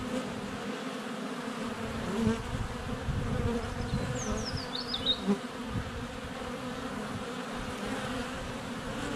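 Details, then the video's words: Honey bees buzzing in flight at their hive entrance on a sunny February day, GoPro Hero 7 Black close to the hive; steady drone beneath a bird's twittering, rising and falling song phrase in the middle. "4K Honey Bees - ambient video and audio"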